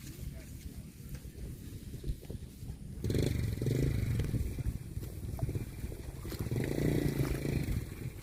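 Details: Cow lowing: a deep, droning moo starts about three seconds in and lasts a couple of seconds, then swells again near the end, over steady low rumbling background noise.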